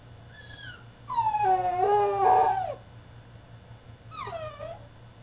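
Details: French Bulldog in his cage mid-tantrum: a brief whimper, then a long, loud, wavering howl-like whine lasting over a second, followed after a pause by a shorter falling whine, faint electrical hum throughout.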